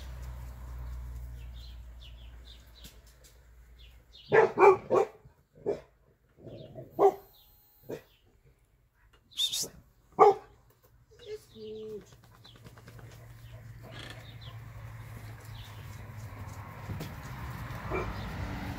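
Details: Labrador Retriever Lilly, a mother dog leading her 2020 E-litter puppies through a garden. Sharp barks come in an uneven burst of about eight over six seconds, then a steady low hum and faint rustling.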